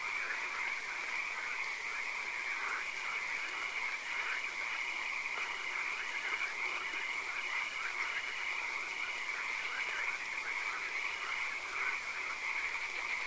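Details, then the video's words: Frogs calling in a night swamp with occasional rain: a dense chorus of pulsed, rhythmic croaks repeating in quick dashes over a steady high-pitched whine and constant background hiss. "Frog Calls, Swamp Sounds and Occasional Rain"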